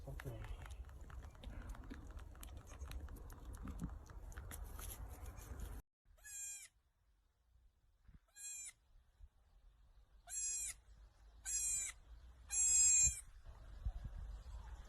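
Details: Baby domestic goat, a kid, giving five short, high, quavering bleats spaced one to two seconds apart, after several seconds of dull background rumble and murmuring.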